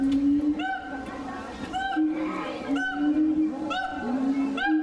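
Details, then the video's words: A siamang at Tennoji Zoo, Osaka, Japan, on 2 May 2022, gives loud, ringing hoots, repeated roughly once a second over a steady droning tone. "【鳴き声】フクロテナガザル 22.05.02 天王寺動物園 4k動画 Siamang"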